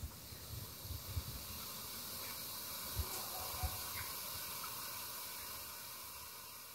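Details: Sustained, even hissing from a cranky boa constrictor in the jungle of Belize, a soft windy rush of air broken only by occasional faint low knocks.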